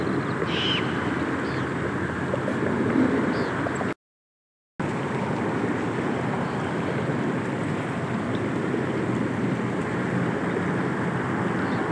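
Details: Steady broadband rushing noise like wind or running water, with a brief silent gap and no clear animal call.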